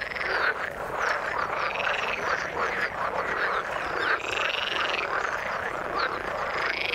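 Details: Frog chorus in the water: loud overlapping croaking throughout, with clear short rising whistled notes repeating roughly every half second against the buzzing background.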